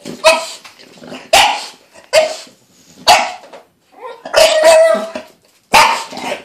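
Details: Lilly, a pet dog, fussing about her weekly bath: six loud, sharp barks spaced roughly a second apart, a couple drawn out into longer tonal yelps with a steady pitched core.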